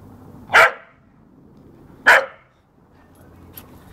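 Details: Two abrupt, punchy barks about one and a half seconds apart from a field spaniel, or working cocker spaniel, at play in the garden, followed by a faint click and low background hum.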